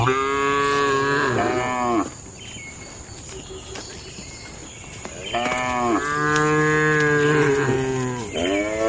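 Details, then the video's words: Cattle in a traditional shed at night, lowing in long harmonic moos, one from the start to about two seconds and another from five and a half seconds to the end, with faint higher calls between and a steady high hum behind. "Suara Malam di Kandang Sapi Lembu"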